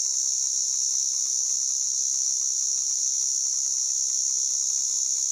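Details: Continuous shrill, high-pitched droning of a white drummer cicada (Arunta perulata), even in loudness from start to finish, with no breaks or other clear sounds.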